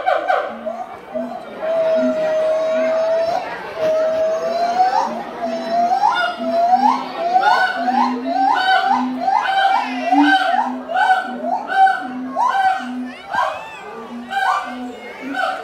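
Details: A gibbon at a zoo gives long, clear hooting notes that quicken into a series of rising, whooping calls.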